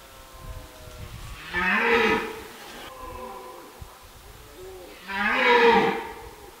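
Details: Red deer (Cervus elaphus) stag during the autumn rutting season in a forest, 2023: two loud, harsh, deep bellowing roars about three seconds apart, each swelling then fading, with fainter moaning calls between them.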